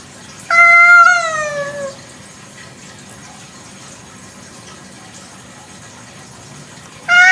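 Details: Village cat at night with a long meow that holds then slides downward over about a second and a half, followed by quiet, and another meow beginning at the very end.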